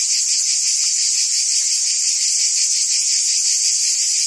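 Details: Cicadas singing in summer in Provence, France: a dense, continuous high-pitched buzzing drone with a faint pulsing texture and steady loudness, no other sounds standing out.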